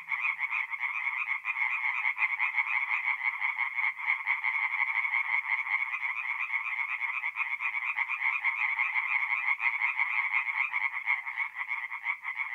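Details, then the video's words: Forest pond at night in North-East Italy during mid-April, where tree frogs sing in a thick chorus of rapid, grating croaks repeated without pause, several animals overlapping throughout. "relaxing forest pond by night with singing tree frogs"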